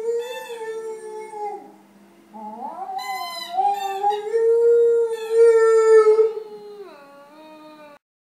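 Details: Rhodesian Ridgeback howling while playing: long, smooth, wavering tonal howls rising and falling in pitch, with a bright higher upward-sliding howl near three seconds and a strong sustained note mid-clip, ending in a quieter falling tone.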